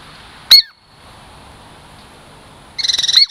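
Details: Pet Douglas squirrel named Girl Squirrel, Puget Sound lowland native, approaching for a treat: one sharp downward-sliding chirp, a pause, then a fast buzzy pulsed trill ending in another chirp.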